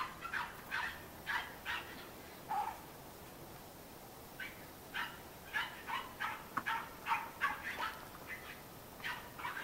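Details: Yelping Cairn Terrier puppies at a kennel in Escaudes, France: a rapid, uneven run of brief high-pitched yips, nearly three per second at times, with short pauses and light background hiss.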